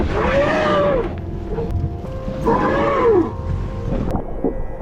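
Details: A young whale entangled overnight in a shark net off Mermaid Beach, Gold Coast, Queensland, early in migration season, gives arching, tonal distress moans, rising then falling, over rumbling underwater background; whale.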